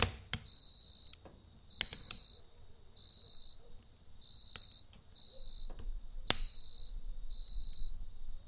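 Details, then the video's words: Crickets at night near a campfire: short, high, ringing chirp bursts repeat steadily over a rumbling, crackling fire, with several loud pops from the burning wood. "Kamp Ateşi ve Cırcır Böceği Eşliğinde Dinlendirici Gece Sesi"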